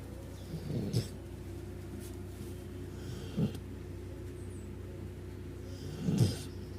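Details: Dog snoring hard, its snores said to sound like those of a big dog: three low, rasping snorts near 1, 3.5 and 6 seconds, separated by quiet breathing over a steady low hum.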